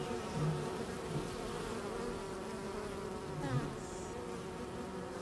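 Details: Honey bees at hives in Corsica's maquis give a continuous low buzzing drone, with a faint higher chirp and soft handling noises.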